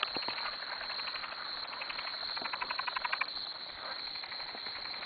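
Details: Frogs at a farm dock at 2am, many calling together in quick pulsed trills, a louder run of rapid clicks building toward the middle, constant high chorus hiss beneath.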